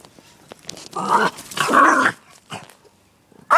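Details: Little pet dog barking at the dog next door: two loud, rough, drawn-out barks in close succession, then a softer yap and a sharp final bark.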